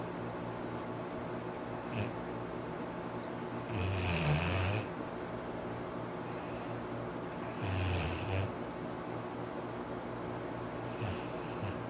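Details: Pet Labrador named Arfie asleep and snoring, two long throaty snores roughly four seconds apart, each lasting about a second with a low growling rumble and airy rasp, soft background hum between them.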